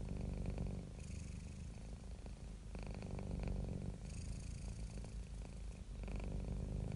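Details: Contented domestic cat giving a steady, vibrating purr, a low rumble pulsing about four times a second, alternating inhale and exhale phases with faint breathy hiss.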